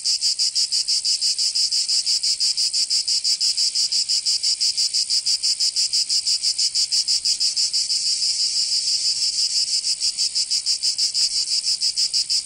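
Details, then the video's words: High, grating drone of cicadas in a Provence summer, southern France, pulsing rapidly and evenly without pause, a steady wall of insect sound and nothing else heard. "Canto Cigarra 🦗 [ Escuchar les cigarras en verano 10 H]"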